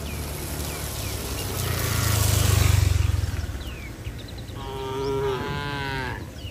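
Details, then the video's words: Tame cattle running to shelter in the barn during rain in bright weather; a deep, loud low rumble swells and fades first, followed by a single harmonic moo lasting over a second near the end. "Suara sapi Moo"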